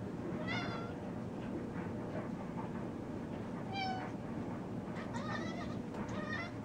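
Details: Pet cat Sneaky meowing at a moth that got into the kitchen; several distinct rising-falling meows spaced a few seconds apart over a low steady background hum.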